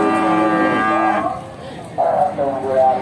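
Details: A Simmental cow at the Bekonang cattle market, Sukoharjo, Central Java, gives a sustained, strongly harmonic moo, followed by a brief lull and a second, brighter bellow, with music playing underneath.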